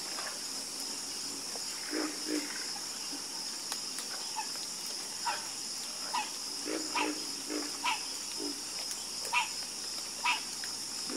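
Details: Sparse frog croaks: single short, rough calls sound roughly once a second at uneven spacing over a steady high, shrill background drone, with quiet gaps between some calls.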